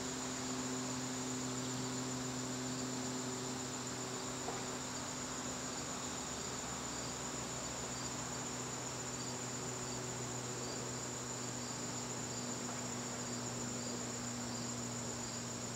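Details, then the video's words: Garden crickets calling on a September evening make an unbroken piercing trill. Soft rhythmic pulses of a second caller come in partway through, over a constant low electrical-sounding hum. "garden crickets"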